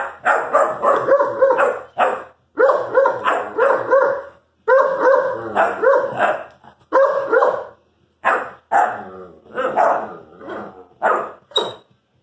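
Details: Irish Wolfhound puppy talking to his brother in a long run of rapid, clustered barks and yips, bursts of several calls separated by brief pauses, with a varied, chattering rhythm.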